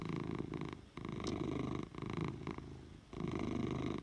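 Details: A short stretch of Oliver, a domestic cat, purring close up: a dense, buzzing low rumble broken into loud breath-linked bursts with brief dips between them, and a faint high tick early on.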